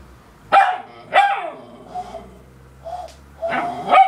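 A West Highland White Terrier gives short, tonal, wolf-like howls mixed with barky yelps.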